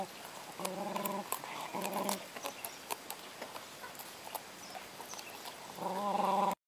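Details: A Kuvasz puppy struggling with its first bone gives short, tonal whining growls between sharp clicking and gnawing noises.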